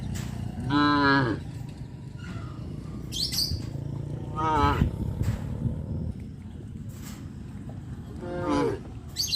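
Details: Village cows roaming the streets near a traditional farm give brief harmonic moos, three in about nine seconds, each falling slightly at the end, over steady low background rumble and faint bird chirps.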